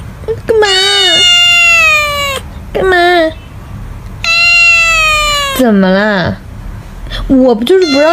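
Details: Irritated pet cat, refused a chance to bite, repeats long complaining meows roughly every few seconds. Lower, wobbling moaning cries are mixed in, and a human voice speaks Mandarin alongside.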